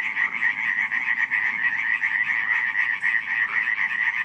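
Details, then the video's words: Frogs croaking at night in Radziszów in July 2015: a dense, unbroken chorus of many overlapping rattling croaks, rapid pulses blending into a steady trilling wall with no other sounds. "nocne kumkanie żab"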